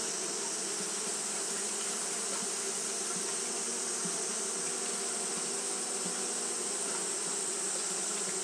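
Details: Japanese honey bees fan steadily on a hot day, producing a thick, level buzzing drone with a steady hissing wash above it and no pauses.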